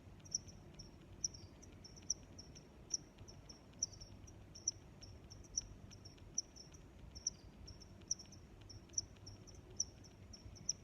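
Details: Repeated bright, high chirps from a cricket, spaced close to one second apart, with quieter trilling pulses in between and a low, steady background noise.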